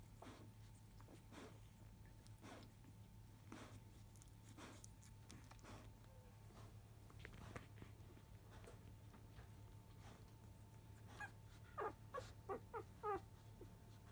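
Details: Five-day-old field-type Labrador Retriever pups born to Biscuit, afternoon after nursing as the mother tends their toileting; faint rustling and shuffling, then near the end a run of short, thin, rising whimpers over a constant low hum.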